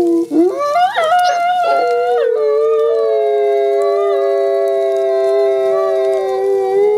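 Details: Two gray wolf siblings, captive ambassador wolves at a conservation centre, howl a synchronized song of long, smooth notes overlapping in low harmony.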